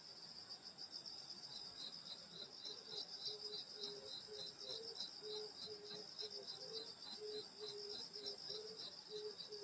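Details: Countryside summer night at a grandmother's house, grass insects in full chorus: bright high trilling and rapid pulsed chirps throughout, plus a lower, evenly repeated short pulsing note sounding roughly every half second.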